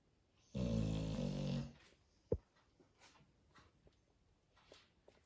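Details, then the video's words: Sleeping spaniel dog gives one loud, low, rasping snore lasting about a second, followed by quiet breathing and faint soft clicks in a small indoor room. "cutest spaniel dog Holly snoring"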